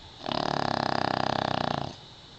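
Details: Pekingese dog asleep and snoring very loudly: one long rattling, throaty snore lasting about one and a half seconds, with a steady buzzing pulse throughout, indoors.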